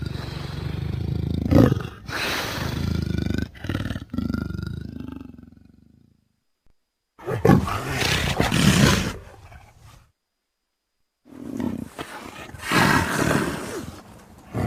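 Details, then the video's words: Leopard giving hoarse, growling roars in three long rasping bouts with gaps between them, deep and gritty with a strained, breathy edge. "Leopard sounds"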